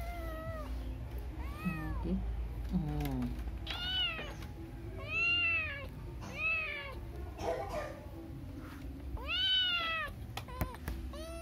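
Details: Domestic cat giving a series of arching meows, some short and some drawn out, with a voice speaking briefly and a low background rumble.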